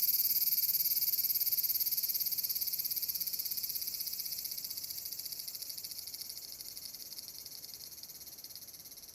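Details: Large brown cicada singing on 30 July 2022 by the Furuta Magarikawa river in Nishinoomote, Tanegashima: a loud, dense, high sizzling drone, rapidly pulsed, slowly fading in volume across the clip.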